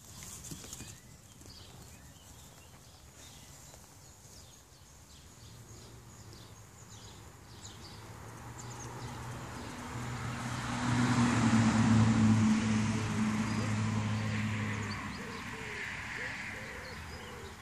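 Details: Female Scottish Highland calf born mid-July, rejected by her mother and now bottle-fed twice daily among other Highlanders near Theetuin Schots en Scheef. A low, drawn-out harmonic moo swells midway, with rustling and hoof-like knocking outdoors.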